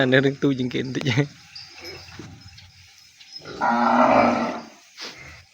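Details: Weaned calf kept apart from its mother in a separate pen, calling for her: a short burst of harmonic mooing at the start, then a rougher, hoarse bawl after a quiet stretch.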